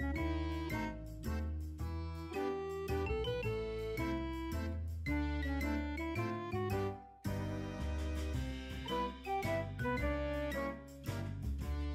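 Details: Light keyboard music with bright, tinkling piano-like notes in a bouncy rhythm, briefly pausing midway, and no animal sounds.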